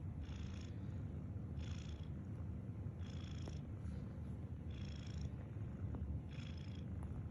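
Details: Sleeping cat snoring: five airy, hissing wheezes, each about half a second long, come roughly every one and a half seconds over a steady low rumbling purr-like drone.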